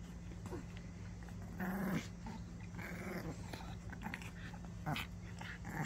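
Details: A ten-year-old Maltese playing tug gives a low, rough growl lasting about half a second near the two-second mark, then shorter faint grumbles, with a constant background hum and rustling of the toy.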